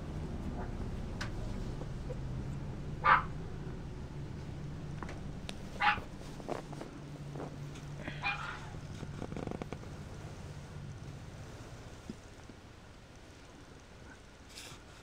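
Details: Mixed-breed puppy giving a few short, sharp yipping barks, two clear ones about three seconds apart, followed by softer scattered yelps, over a steady low hum.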